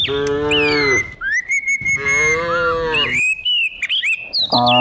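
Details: Dozens of cows herded down a hill every morning in the countryside; two long, deep droning moos with a third starting at the end, while small birds chirp and whistle high above.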